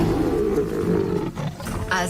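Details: Lion amid two rival prides: a deep, rough, sustained roar with a steady low tone lasting about two seconds, ending in a brief higher rasp.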